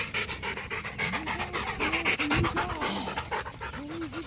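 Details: A male Rottweiler panting while playing fetch: quick, breathy huffs repeating about four times a second, with a person's voice repeatedly saying "ready" over it.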